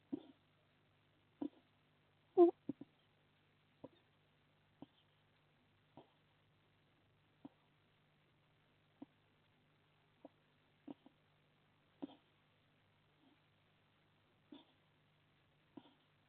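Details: Sleeping hedgehog on a live wildlife camera in a garden in Las Merindades de Burgos, Castilla y León, Spain, giving short soft snorting puffs every one to two seconds, one louder snort near the start, against a faint steady hum.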